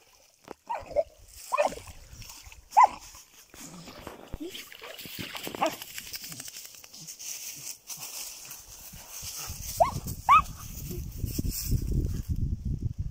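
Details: German Jagdterrier outdoors: several sharp, short barks spaced a second or so apart, with a final pair of loud barks near the end, amid background rustling and a man speaking briefly.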